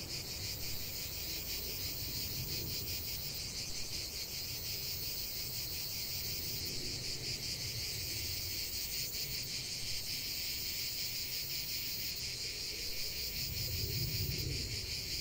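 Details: Cicadas in a continuous chorus of song, a dense, steady high buzzing that never breaks, pulsing faintly, with soft low rumbling of wind or distant noise underneath.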